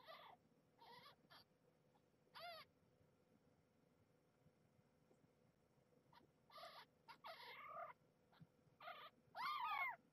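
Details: Young nursing kittens fighting over feeding spots on their mother, a former stray; scattered short harmonic squeals and mews, some clustered, ending in a louder wavering cry over faint background hum.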